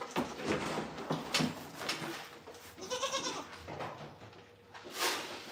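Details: Goats on a small farm and homestead during a live stream, several wavering bleats with a harmonic quaver near the middle and another short bleat toward the end, set against indoor clatter and background noise.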